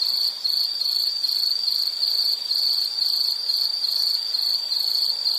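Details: Nature sounds for calm study or rest: an insect gives a continuous shrill trill of fast pulses at a constant high pitch, with a slight dip in loudness near the start and nothing else clearly heard.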